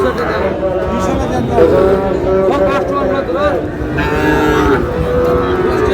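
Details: Cattle at a busy livestock market in Noakhali, Bangladesh, on 18 June, where a Sahiwal bull calf is bought; drawn-out, low harmonic moos overlap one another beneath constant crowd chatter and bargaining voices.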